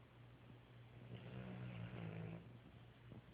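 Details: Three dogs asleep and snoring: a quiet, low, buzzy rumble under a steady deep hum swells in the middle of the breath and then fades.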